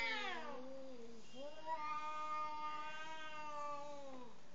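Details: Angry cat before mating, facing its partner; a short descending yowl followed by a long, steady, moaning yowl that holds its pitch before fading out in a quiet setting.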